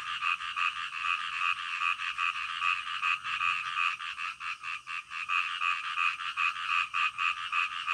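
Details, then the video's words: Frogs calling loudly in the middle of the night, close and clear: rapid rhythmic croaking pulses rising and falling in waves, several per second, with little other sound. "SUARA KODOK DITENGAH MALAM"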